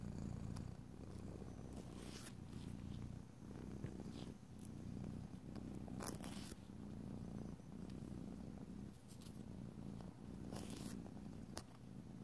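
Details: A domestic cat named Nacho purrs steadily, a deep continuous rumble, with occasional scratchy filing sounds as its nails are filed.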